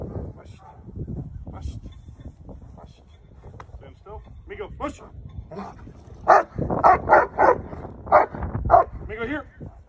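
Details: Male black German Shepherd home protection dog barking during a handler protection exercise: a rapid run of loud, sharp barks in the second half, after quieter sounds and rustling, with human voices and handling noise.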